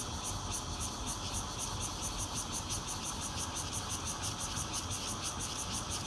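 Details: Red-veined and intermittent bear cicadas calling around a fourth-floor home in Zhongli, Taiwan, on 16 June 2013, Nokia Lumia 820 recording: loud unbroken buzzing with fast pulsing high overtones roughly twice per second, low rumble underneath.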